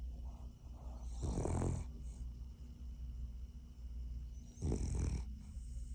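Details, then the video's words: Sleeping Cavalier King Charles Spaniel snoring, a dog that doesn't like being woken up; two loud, rough snorting breaths about three seconds apart over a low steady hum, quieter breathing between them. "Snoring King Charles Cavalier doesn’t like be woken up"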